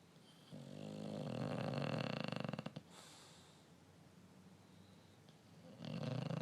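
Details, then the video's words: Sleeping male English Bulldog, tongue sticking out, giving a raspy snore that swells and ends in fluttering, sputtering pulses, followed by a quiet pause before the next rough inhalation begins. "English bulldog Riley is snoring with his tongue sticking o"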